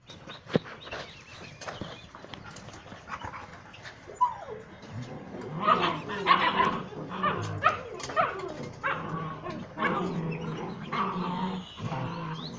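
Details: Puppies playing and fighting together with their mother and other puppies, barking as they play: scattered short yips and barks with growly rough-and-tumble noises, louder bursts in the middle, irregular rhythm.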